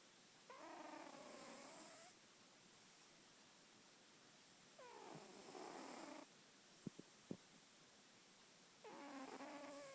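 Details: Sleeping female house cat snores. Three drawn-out, humming breath sounds of roughly one to one and a half seconds, with layered overtones, come about four seconds apart, plus a couple of soft clicks in between.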